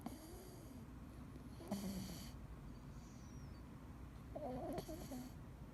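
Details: Snores from Dee, a sleeping male Scottish Fold: a short hissing breath early, then a longer rumbling snore a few seconds later with a slightly nasal rasp. The room is otherwise quiet.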